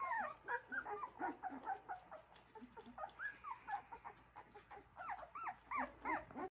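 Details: Puppies taking their first steps with the mother dog, a litter of overlapping high-pitched whines and squeals, each short and bent upward or downward, repeated over and over in an uneven chorus.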